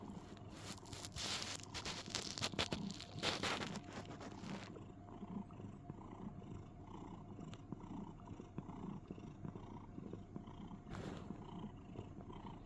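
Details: Cuddling cat in a box producing a rumbling, cricket-like purr: continuous low vibrating pulses, with loud rustling and handling noise during the first few seconds and a short scrape near the end.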